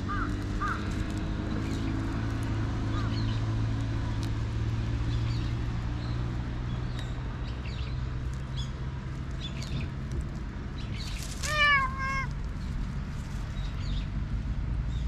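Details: A jet-black stray cat that was being teased and struck back, filmed on a GoPro HERO8, gives one short two-part falling meow late on, over a steady low hum and rustling background noise.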